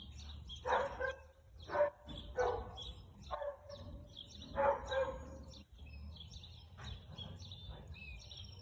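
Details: A husky barks in short, hoarse bursts spaced a second or so apart, recorded 4 February 2022 (or 2 April) at about 2:57 pm.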